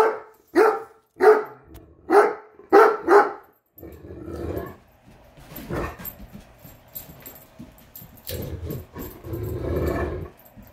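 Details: Great Dane reacting to a measuring tape with six sharp, hoarse barks in quick succession over three seconds, followed by softer scuffling and rustling sounds.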